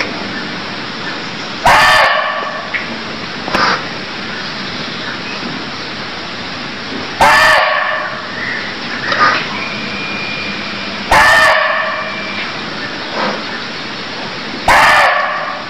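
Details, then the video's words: Barking deer from Cambodia calling with four sharp, coarse barks spaced several seconds apart, softer clicks and a thin whistle between them, over a high chirping background. "Cambodia Sound Deer Calls || សម្លេងសត្វឈ្លូសស្រែក"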